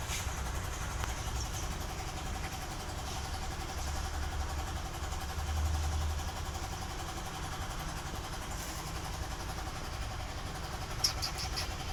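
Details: Steady low engine-like hum and broadband background noise with no animal sound heard.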